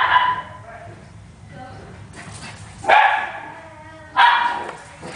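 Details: Italian Greyhound and Miniature Pinscher excitedly running and playing; three loud, rough barks about every one to two seconds, with soft whining sounds and low background noise between them.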